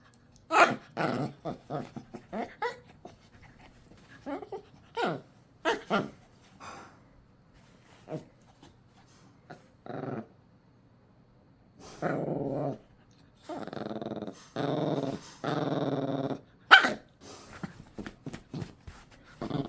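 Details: Indoor dog reacting when its toy is taken away: scattered short snorts and huffs, then a run of rough, sustained growls, each about a second long, in the latter half.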